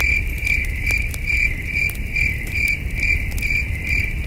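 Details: Short stretch of night crickets at a starry wilderness campsite: clear high chirps repeating about twice a second in a steady rhythm, with faint campfire crackle and low rumbling underneath.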